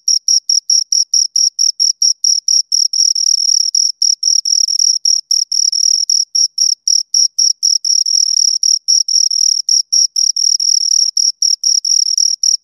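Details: Two crickets chirping close by: rapid high-pitched chirps, about four per second, at times merging into near-continuous trilling as the two overlap, otherwise silent background.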